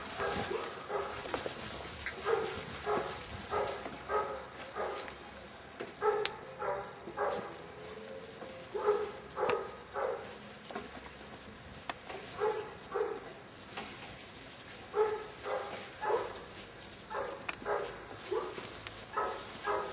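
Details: Young Airedale Terriers, a seven-week-old L-litter, keep up irregular runs of short, tonal, high-pitched yaps and squeaky barks for the whole stretch, with brief gaps between clusters and a faint hiss behind.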